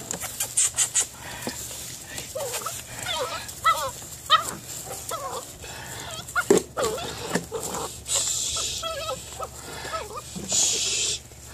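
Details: A six-week-old male Belgian Malinois pup doing bite imprinting makes a series of short squeaky whines that bend up and down, repeated in irregular bursts, over constant rustling, clattering and a few sharp knocks.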